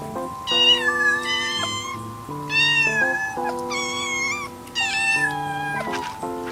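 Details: Kittens giving several loud, rising-then-falling meows, some drawn out and others short, in irregular bursts over background music with sustained chords.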